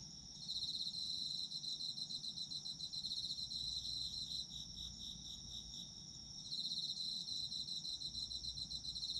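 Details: High rapid trilling of autumn insects, strong at the start, easing into softer pulsed chirps midway, then rising again to a full steady chorus.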